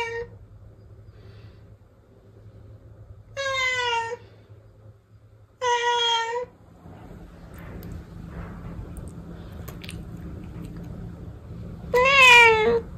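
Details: Protected domestic cat meowing three times with long gaps: two steady, slightly falling meows about two seconds apart, then after a quiet stretch a louder, wavering, rising-and-falling meow near the end; faint low hum and soft rustling between calls.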